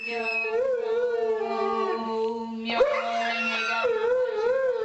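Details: Three-legged dog howling with a person's chant and background soundtrack; a wobbling, warbling sustained howl, a brief sharp break, then the wavering tone resumes above the low steady drone.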